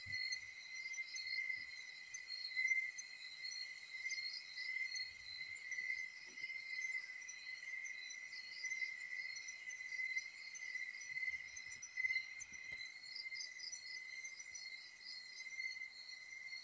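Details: Rural Philippine night chorus of crickets around a bahay kubo: one steady shrill tone runs throughout beneath rhythmic chirping pulses higher up, with a few soft low knocks.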